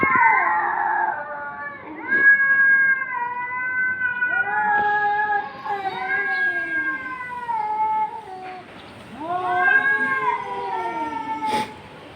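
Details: Cats confronting each other, making long wailing yowls that rise and fall in pitch, several drawn-out howls overlapping with brief pauses between them.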